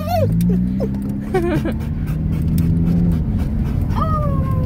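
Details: Pet dog yodeling inside a car, giving short sliding whine notes early on, then a longer held, gently falling tone near the end, over constant low engine and road hum.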